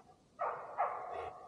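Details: A neighbour's female Golden Retriever gives two hoarse, mid-pitched barks a short way off, about half a second apart, in the evening, apparently barking because she knows people are nearby.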